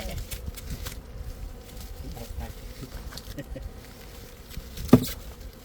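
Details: Steady droning hum of honey bees with a sustained mid-pitched tone, broken by light tapping sounds and one sharp knock near the end.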